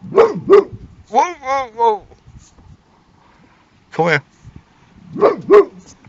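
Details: Boxer dog barking while guarding a car like a car alarm: two quick sharp barks, a drawn-out wavering harmonic vocal, a single bark, then two more sharp barks near the end, with quiet gaps between.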